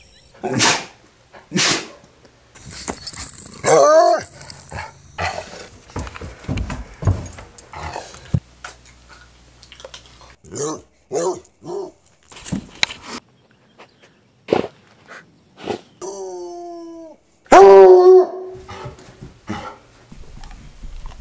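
A Treeing Walker Coonhound gives sharp barks, moaning howl-like whines and drawn-out vocal grumbles.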